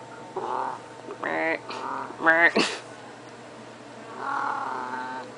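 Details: Domestic cat meowing insistently for food despite having already been fed: a run of harmonic, rising-then-falling meows of varying length over about five seconds, one sharp strained cry in the middle, indoors with a person scolding nearby.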